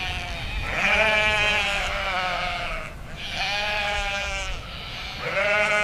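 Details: Farm sheep bleating: three long, nasal, wavering bleats, each lasting one to two seconds with brief pauses between, the last one cut off at the end; no other clear sounds.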